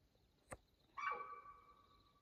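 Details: Mountain lion calling at night, 2:15 a.m. on June 7, 2024, Houston Bros Trail, Coconino National Forest, Arizona: a sharp click, then one tonal, slightly wavering cry of about a second that trails off, over quiet night background.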